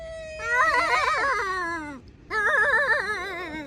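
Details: Cat uttering two long, warbling yowls with a strong tremolo, each sliding downward at the end, separated by a brief pause.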